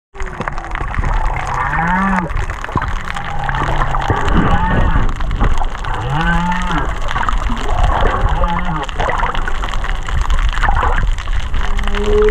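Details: Humpback whale song recorded underwater at Kaanapali Bay, whales under 500 metres away: repeated low rising moans and upsweeps, with higher wavering whoops and cries above, over constant crackling from fish eating coral.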